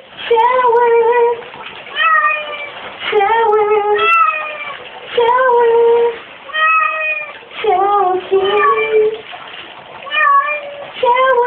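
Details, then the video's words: Female pet cat Glu talking while getting a shower: drawn-out, tonal meows with level or gently bending pitch, coming in bursts of one to two seconds separated by short pauses, about a dozen calls. "My adorable kitty really talks!"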